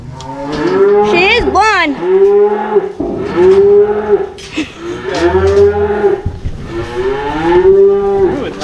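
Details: Cattle driven home calling in repeated drawn-out moos, one after another with brief gaps, plus a quick higher bellow near the start and occasional sharp knocks.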